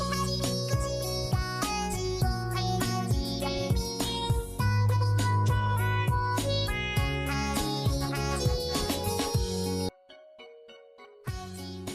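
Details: Cheerful children's music with instruments and sung voices, cutting briefly to near silence before the music returns, with no animal voice heard.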